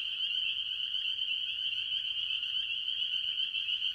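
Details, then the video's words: An early-year chorus of tree frogs, mostly spring peepers, at a farm pond, their high, piercing peeps blending into one continuous shrill ringing. "Relaxing Tree Frog Sounds - Spring Peepers - Vol 1"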